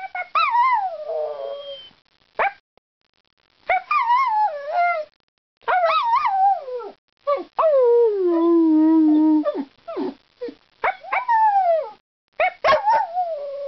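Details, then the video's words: Singing and talking dog named Ireland: wavering, harmonic howls bend up and down, one long phrase falling into a low sustained note, separated by brief silences. "Ireland the Singing/Talking DOG"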